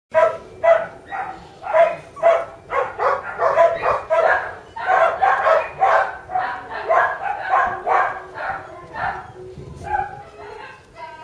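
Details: Border Collie puppies, two sisters, yapping in quick succession: bright, high barks and yips about two per second, often overlapping, with a brief pause and then a renewed flurry toward the end.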